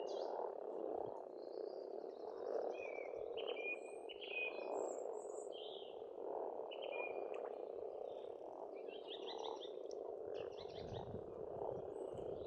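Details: Frogs croak together in a continuous, swelling chorus at a spring pond in Estonia. Short trilled and whistled bird phrases ring out repeatedly above, with brief low rumbles near the end.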